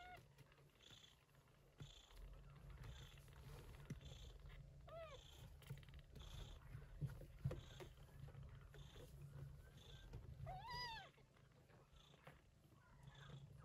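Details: Gray Persian Chinchilla shorthair mother cat Yupi tending kittens born during an early-September typhoon; a continuous low rumbling purr runs throughout, with several thin, arching kitten mews breaking in around the middle and near the end.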